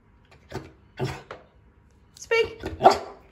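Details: Female dog barking on the command "speak" during a training session indoors; a handful of short sharp barks, the louder ones near the end, mixed with a trainer's spoken commands and praise.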